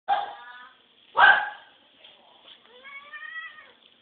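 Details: Domestic cat named 跳跳 begging for food: a short harmonic meow, then a louder broad meow near 1.2 s, and a softer drawn-out rising meow from 2.7 to 3.7 s, indoors.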